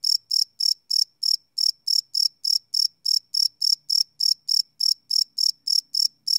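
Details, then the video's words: Night-time cricket chirping captured live on a Sony PCM D100 field recorder: crisp, high, evenly spaced pulses, about three per second, with one short pause and no other sounds. "Cricket Chirp Sound - Cricket Sounds at Night"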